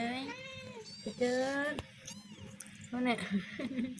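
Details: Newborn kittens in their first week of life giving four drawn-out, wavering meows, some rising then falling, a short gap between the second and third, with faint indoor background noise.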